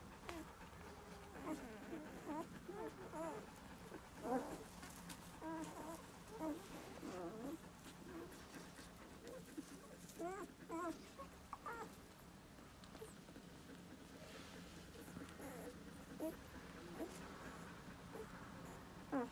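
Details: Newborn Husky and Doberman puppies just after birth, giving many short high squeaks and whimpers that overlap in a busy chorus, with a steady background hum throughout.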